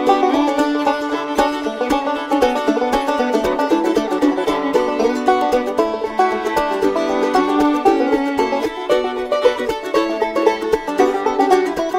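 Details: Lively plucked banjo music in a bluegrass style plays throughout, with no animal sounds.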